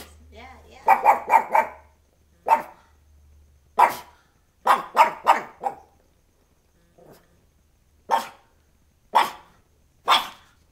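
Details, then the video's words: Black pug barking at a doll, a rapid cluster of four sharp barks followed by single loud barks at irregular intervals of about one to two seconds, with a brief low grumble in between. "black puggy Cello barking at a doll"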